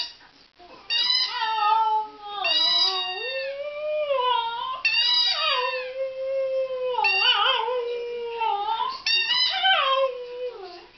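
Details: Border Terrier named Meg singing indoors: long drawn-out howls that bend downward and waver, phrases separated by short breaths.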